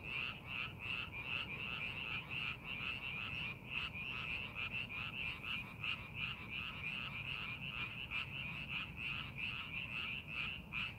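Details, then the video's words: Frogs calling from rice paddies being prepared for farming: a dense, steady chorus of rapid pulsed croaks that overlap continuously, bright and rattling, with a low rumble of background noise underneath. "농사준비하는 논에서 개구리 울음소리"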